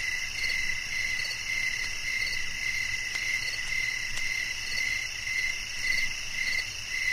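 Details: Relaxing nighttime nature recording of crickets: high, regular chirps about twice per second layered on a steady insect drone, with a few faint clicks in the background.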